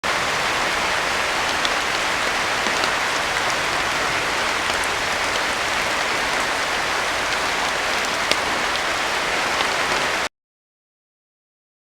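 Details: Steady hissing rain-like noise runs for about ten seconds with no animal calls, then cuts to silence.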